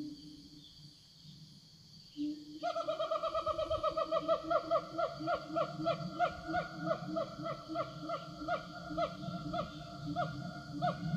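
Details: Forest siamangs calling back and forth to their group: a low hum, then from about two seconds a fast, regular series of loud, rising barks, all against a constant shrill insect buzz.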